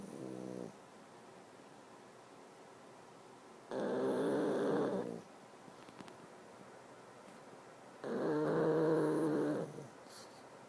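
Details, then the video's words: Two pugs asleep and snoring: three long, raspy, harmonic snores a few seconds apart, each lasting one to two seconds, with quiet breathing in between. "pugs snoring"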